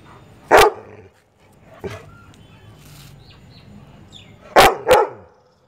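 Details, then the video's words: An annoyed Labrador Retriever gives loud, sharp barks at chirping birds, a single bark then a quick pair. "Labrador dog barking hardcore"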